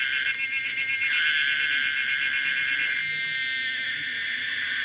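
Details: Pomponia linearis, a common cicada, giving a steady, intense shrill buzz with fast rippling pulses. The tone shifts slightly partway through and continues unbroken to the end.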